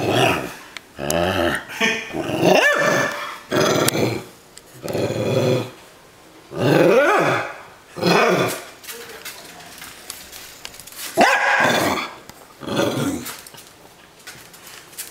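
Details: A pet dog squaring off in play against a Buzz Lightyear toy gives rough, loud growls and growly barks in bursts about a second long, broken by short quiet pauses.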